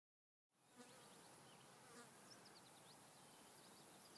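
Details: A European honey bee stuck on a milkweed flower, struggling to get free, gives a low, steady buzz against a hissing background.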